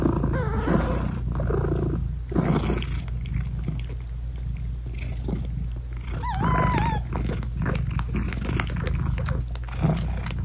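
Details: British Shorthair mother cat talking sweetly to her newborn kittens as she nurses them: low continuous purr with breathy pulses, broken midway by one short, clear, slightly wavering meow.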